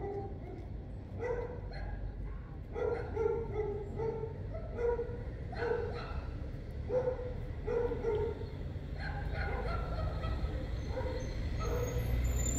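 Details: Border Collie named Jack during heel training, having come down with tail between legs and barked: a series of short mid-pitched barks, roughly one or two per second, with a trainer speaking Portuguese and outdoor background noise.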